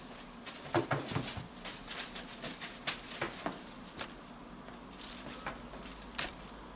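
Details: Ronnie, a blue British Shorthair kitten, female, eight months old, chattering and chirping indoors: quick bursts of clicky, stuttering pulses follow one another over several seconds, with a few brief tonal chirps near the start.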